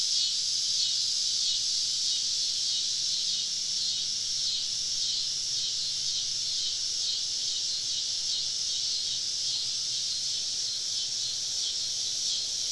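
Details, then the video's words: Many cicadas surround a camping spot deep in the woods on a southern summer evening, forming an unbroken, high, sizzling drone; a faint low hum drifts underneath. "Southern Evening Summer Cicada Symphony"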